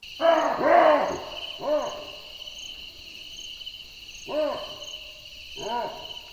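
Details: A chacma baboon gives a dominance call, loud harsh two-part barks spaced a few seconds apart, over steady high insect chirring; Southern African recording.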